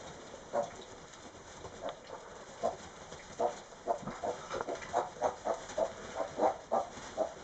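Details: Tamworth pig on Raasay making its bed 'Tamworth style', giving short, low grunts that start sparse, then quicken into a steady rhythmic run of about two grunts per second toward the end.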